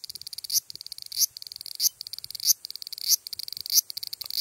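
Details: Large brown cicada song recorded 14 July 2011, loud and close: rapid grating pulses in a steady stream, punctuated by a stronger surging rasp about every 0.6 seconds, with a strongly regular rhythm.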